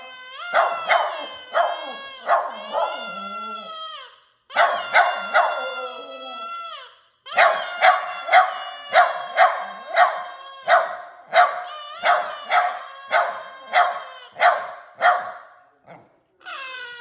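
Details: Puppy practising howling: a long sequence of rapid yelps mixed with wavering, sliding howl notes, broken into several bursts by short pauses.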